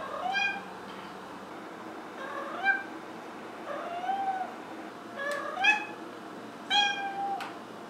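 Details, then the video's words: A Maine Coon kitten, female, gives a series of short, rising-and-falling meows, some higher and chirpier than others. "Maine Coon Molly Meowing (Kitten to Adult Compilation)"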